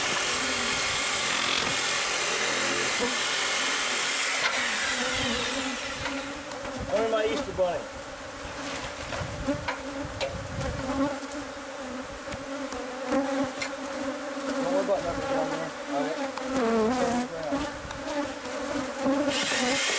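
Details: Bees of a hive found inside the walls of a new homeowner's house during removal: a loud hissing machine noise for the first five seconds, then a steady swarm buzz with wavering tones and light knocks.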